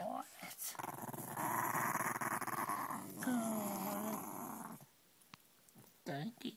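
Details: Female Shih Tzu that hates lying on her back growls steadily for several seconds, a rough rumbling with pulsing texture, rising into a whiny edge midway, with brief human speech before and after.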